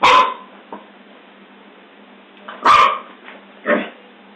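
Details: Scottish Terrier, a terrier breed described as an alert watchdog, giving abrupt loud barks: one at the start, another after a pause of over two seconds, then a lower, shorter woof, with quiet hiss between.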